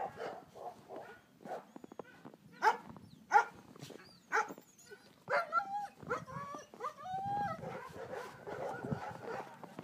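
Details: Bernese Mountain Dog puppies playing in snow: a run of short, sharp barks in quick bursts, then higher whining yelps and squeals with rising and falling pitch toward the end.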